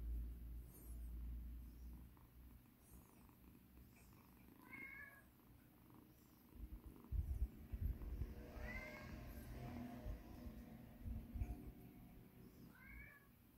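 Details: Massaged rescue kitten Mikan purring continuously, breaking into three short, soft meows spaced a few seconds apart, with fabric rustling and handling bumps in the background.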